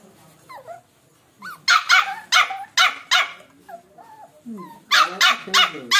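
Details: Samoyed puppy vocalising while eating: a burst of about ten short, bright yelping barks in two quick runs, with soft whiny murmurs and small whimpers between them, indoors with no other sounds.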